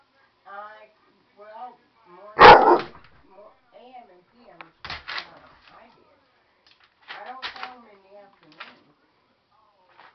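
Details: Siberian Husky indoors, angered by an optical illusion: short rising-falling yowling 'talking' calls, then one loud harsh bark, followed by a string of brief yips and grumbles with quiet gaps between.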